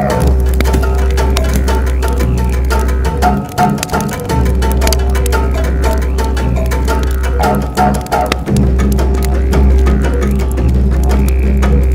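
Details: Loud music with a steady deep bass drone and rhythmic plucked notes throughout, with a faint voice underneath.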